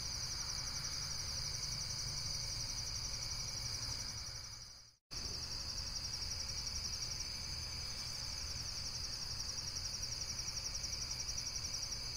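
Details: High, rapidly pulsed insect trill that drops out in a brief complete silence near the middle, then resumes unchanged, with low background rumble.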